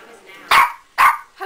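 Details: Pet dog barking indoors: two short, loud, harsh barks about half a second apart, then a faint start of another sound.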